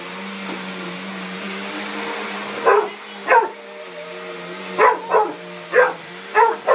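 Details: Frightened by a sweeper, a Mastiff lets out six sharp barks in the second half, some in quick pairs, over the machine's constant droning hum, with a person's voice in the background.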